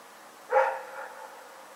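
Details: A single sharp bark from Rex the dog at night, recorded 27 February 2018, rising abruptly and trailing off into a short reverberant fade against low steady hiss.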